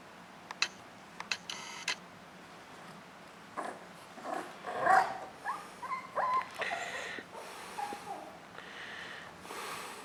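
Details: Jack Russell Terrier puppy named Doctor, playing indoors in a small room; scattered short squeaky whines and little yips with snorty bursts between quieter pauses, busiest around the middle of the stretch.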